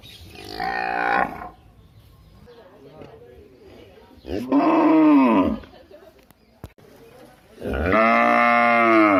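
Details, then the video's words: Cattle lowing: three separate moos spaced a few seconds apart. The first is rough and breathy, the later two fuller and droning, over a faint background hum and a single sharp click. "cow sound"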